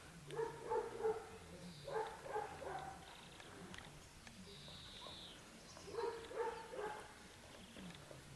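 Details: Dogo Canario puppies aged 12 weeks, the heaviest 14.8 kg, bark in quick clusters of two to four yaps: one at the start, another after two seconds and a last near six seconds, with faint high whistling sounds between.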